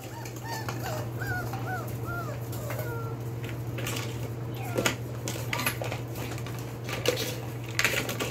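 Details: Belgian Malinois puppies, four weeks and four days old, from the Beastie/Barron litter born 9/26/2021, indoors; a run of short arched whines over the first three seconds, then scattered clicks, knocks and a steady low hum.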